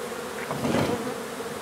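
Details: Brief burst of honey bee buzzing during a hive removal in Donna, Texas. The hum swells briefly and then settles back to a steady drone.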